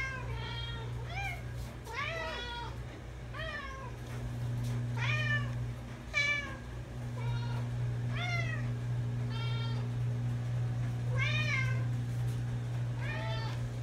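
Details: Domestic cats that will not stop meowing, recorded on the way to camp: a rapid string of harmonic, arched meows, roughly four a second, some rising then falling, over a steady low engine-like hum.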